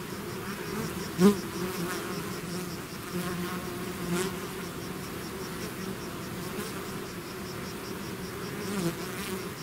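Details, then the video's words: Bee swarm out of its hive giving a continuous low droning buzz, broken by a sharp close buzz or knock early on and a softer bump near the end. "bees therapy swarm natural buzzing sound"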